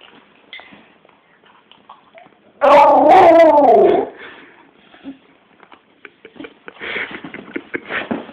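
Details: A one-year-old male Staffordshire Bull Terrier growling at home: a single loud, wavering, harmonic growl of about one and a half seconds. Quiet shuffling and soft rustles come before it, and scattered clicks and household noise follow.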